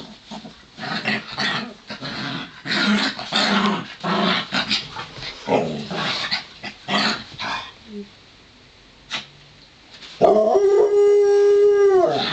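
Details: Play-wrestling between Romeo the Pomeranian and Joplin, a Ridgeback mix: rapid rough growls and scuffling for about eight seconds, a brief lull, then a loud sustained harmonic howl that begins and holds to the end.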